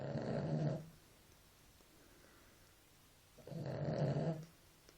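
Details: Sleeping dog snoring indoors: a low, rasping snore of under a second opens the stretch, followed by quiet breathing, then a second drawn-out snore about three seconds later.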